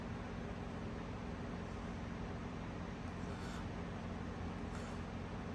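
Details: Steady broadband rumble like road traffic runs throughout, with no animal voice.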